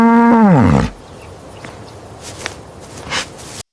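A bull gives one short, deep, harmonic bellow lasting under a second and dropping sharply in pitch at the end, followed by quiet background.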